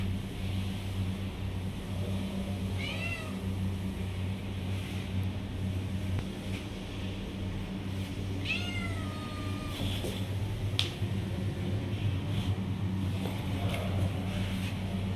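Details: A young kitten begging for milk gives two thin, high meows that bend down in pitch about six seconds apart, followed by scattered clicks and knocks over a persistent low drone.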